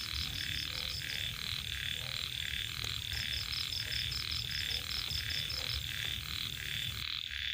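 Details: Along rice-field margins in the evening, small frogs called khiat croak in a dense, regular series of raspy pulses, several per second. A high insect trill runs through the background until it drops away just before the close.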